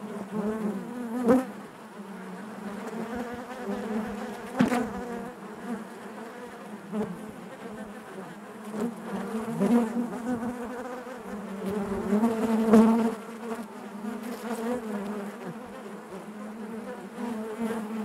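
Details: Continuous droning of honey bees within their hive, a low buzzing hum rich in overtones, rising and falling as bees move, with sharp brief peaks near 1.3 and 4.7 seconds and a louder stretch around 12 seconds.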